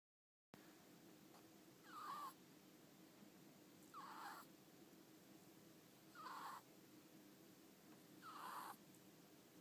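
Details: Pet ferret named Ten-chan sound asleep with half-open eyes and tongue flicking, snoring in short wheezy bursts about every two seconds, each with a slight whistled tone near the start, over a steady low background hiss.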